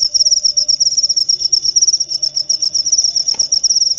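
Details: Steady high-pitched cricket chirping, meant to drive away rats and help sleep, delivered as a fast stream of short pulses with a brief soft click near the end.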